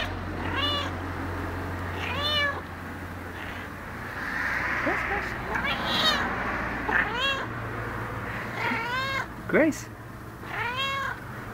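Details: Gracie, a chatty domestic cat of about 12 years, meows repeatedly, roughly every one to two seconds, each call a bright arched wail with rich harmonics, answering a person who keeps calling her name over a low background hum.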